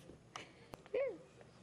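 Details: English Bulldog puppy raised on a Kansas ranch, indoors in a small room: one short arched whimpering squeal with clear overtones, preceded by soft taps and clicks.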